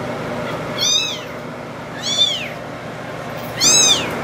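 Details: Two-week-old bottle-fed kittens, abandoned by their mother, at feeding time: three high, arching meows with bright stacked harmonics, about 1.3 seconds apart, over a low steady room hum.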